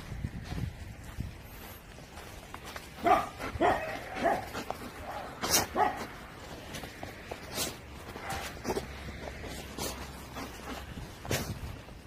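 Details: Old English Sheepdog named Yeondu, odd-eyed, playing with friends at a training school; a cluster of short, sharp barks and yips comes between three and six seconds, then scattered single barks over a noisy background.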